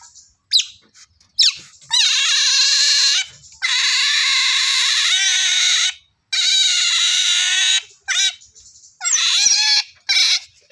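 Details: Otter whining in long, steady, high squeals lasting up to two seconds each, separated by short silences, with brief chirps between them.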